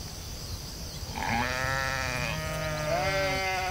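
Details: Sheep in a field bleating: after a quiet first second, long wavering, harmonic bleats begin and overlap, rising and falling in pitch for more than two seconds over a steady background hiss.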